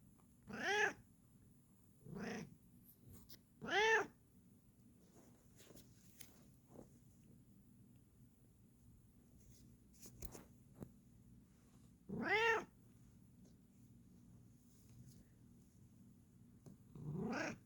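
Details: Bengal cat being relaxed indoors; five separate short meows with clear harmonic stacks, some rising and falling, spaced by long quiet gaps, with faint ticks and low background hum.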